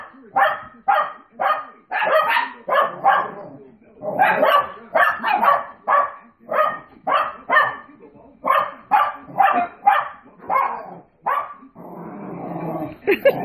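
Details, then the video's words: Two small dogs react to dogs on television with a steady string of barks. The sharp, yappy barks repeat rapidly, about two per second, for most of the stretch. It ends with a broad rustling noise. "Puppies bark at other dogs on TV"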